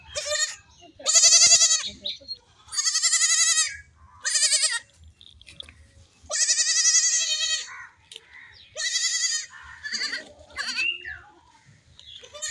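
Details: Baby goats playing and jumping give loud, quavering bleats in a string of long, harmonic-rich cries, each lasting about a second, separated by short pauses, with faint rustling between calls.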